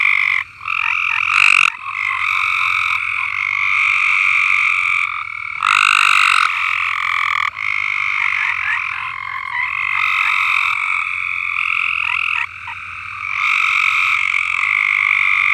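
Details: Frogs calling en masse in a farm's uncleaned above-ground swimming pool: overlapping pulsed trills form a dense roar, interrupted by short near-silent gaps before the chorus restarts each time.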